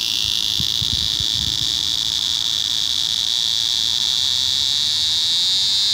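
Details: Unusual courtship behaviour of an eastern scissor-grinder cicada: an even, high-pitched electric buzz held without break, with a few faint low thumps near the start.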